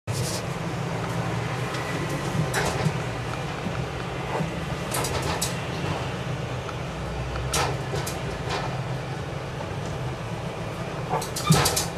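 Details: Low steady hum indoors, punctuated by scattered clicks and soft knocks like doors or cupboards closing.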